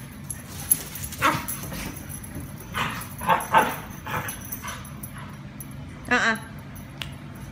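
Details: Luke, a Border Collie, roughhouses with Luhan, a Yorkshire terrier. Scattered grumbling growls and snaps lead into a clear, rising whiny yip near six seconds, followed by a brief click, over low background hum.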